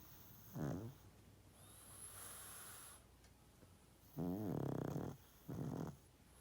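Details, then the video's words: Sleeping pug, 12.5 years old, snoring loud: a short low snort-like snore, a quiet gap with faint high hiss, then a longer rumbling snore followed quickly by a brief one. "Pug play, sleep 😴 & snoring loud"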